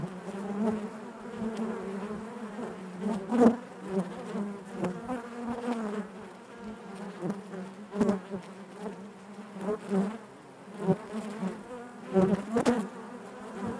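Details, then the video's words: Continuous buzz of honey bees within a hive, a low droning hum layered with fluttering overtones, rising in short surges every second or two, punctuated by faint clicks. "bees therapy hive natural buzzing sound"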